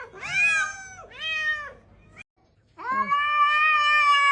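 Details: Domestic cat meowing indoors: two loud, falling meows in quick succession, then a short pause and one long, steady, drawn-out wail held to the end.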